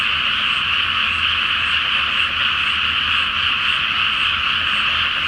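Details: Frog chorus at night from a flooded rice paddy before planting, under a full moon: a dense, unbroken wall of overlapping croaks and trills at a steady level, with no pauses or other clear sounds.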